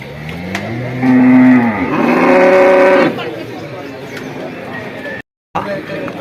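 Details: Male water buffalo at a sale gives a loud, drawn-out two-part moo lasting about two seconds. A lower steady tone rises into a higher, brighter one. Quieter speech and background noise follow.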